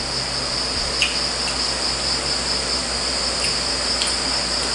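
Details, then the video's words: Crickets at night beside a countryside home in the provinces during a family dinner, a normal sound of rural life; an unbroken high, shimmering trill holds steady throughout, with a few faint clinks. "Kung may mga naririnig man po kayo sa tabi, yan po yung mga kuliglig."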